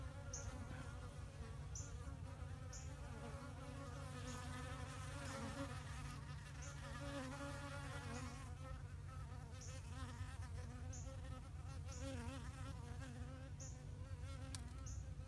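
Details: Bee colony nesting in a flowerpot, September 2018, giving a dense continuous low hum with shifting, warbling overtones, plus brief sharp high ticks roughly every one to two seconds.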